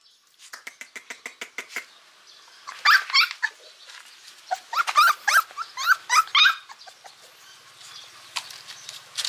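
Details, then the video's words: Hungry puppies crying loudly for food: rapid series of short high whimpers, then overlapping shrill yelps and squeals from several pups, some rising and falling in pitch. "Hungry puppies crying loudly want food"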